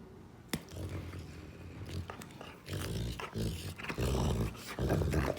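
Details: A female Rottweiler growls in low, rumbling bursts that grow longer and louder toward the end, with a sharp knock near the start and faint rustling between growls.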